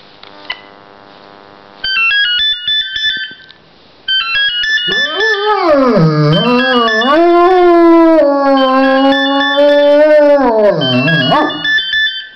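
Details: Riley, a pet dog, howls to a telephone ringtone for the first time: after beeping tones, long wavering rising and falling howls carry through the tune, with the electronic ringtone playing throughout.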